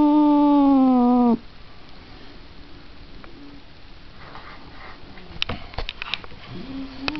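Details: A single held cat wail, slightly falling, cuts off after about a second, leaving a quiet room with faint knocks and a soft distant note near the end.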